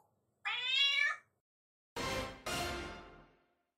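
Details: A black-and-white tuxedo cat that stays home alone daily greets its returning owner with one short, bright, slightly rising meow, followed by two loud, rushing, broadband added effect sounds.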